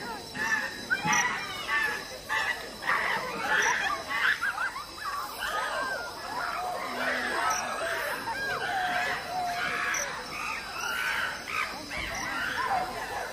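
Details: Chimpanzees fighting at the LA Zoo, with overlapping shrill screams that rise and fall continuously, many voices at once, and human crowd chatter mixed through.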